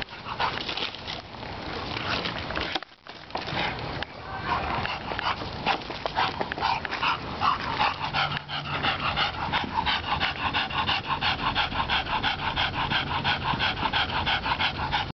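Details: Lester the bulldog helping rake, tired from the work: steady rapid panting, wheezy and fast, continuing throughout with a brief pause near three seconds, faint rustling in the background.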